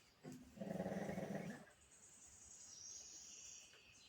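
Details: Sleeping pug snoring: a single buzzy, raspy inhale of about one second, then quiet, while a thin high whistling tone drifts faintly behind it.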